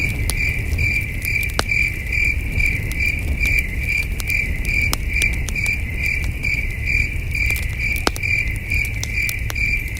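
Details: Crickets chirping at night beside a campfire at a starry wilderness campsite: a steady high pulsed trill, about two bursts a second, over low crackling fire rumble and occasional sharp pops.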